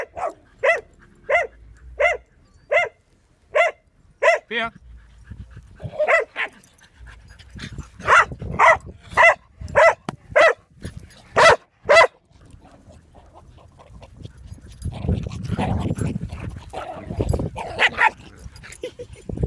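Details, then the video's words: Dog playing at a dog park, barking in a steady series of about eight sharp, evenly spaced barks, then a second quicker burst after a pause, ending in a jumble of yips, scuffling and panting. "going wild"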